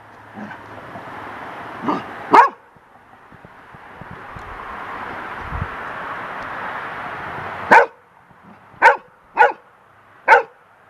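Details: On a deck, the golden retriever Lacy, still young, attacks a wind-blown bird feather she fears: a couple of early barks, a stretch of rushing wind-like noise, then four sharp barks in quick succession.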